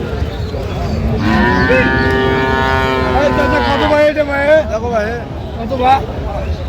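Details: Cows and calves at Aftabganj cattle market (haat), Dinajpur, Bangladesh, on 17 January 2026: a long, steady, low moo held about three seconds, then shorter wavering calls, with men bargaining over prices nearby.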